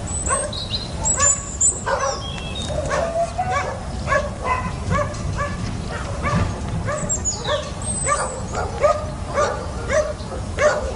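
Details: Small puppy at a fence, yapping rapidly and continuously in sharp, high, repeated barks, with bird chirps and whistles mixed in over a noisy background.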